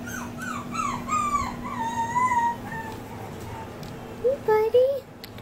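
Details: Male Maltipoo puppy, born on 7-19, whining in a series of loud, high, wavering cries that slide up and down, ending in a few short yelps, over a steady low hum.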